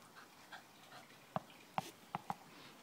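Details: Welsh and wire fox terriers Lucie, Max and Tilly at play; four short, sharp yipping barks burst out in a quick uneven run near the end, against a quiet indoor background.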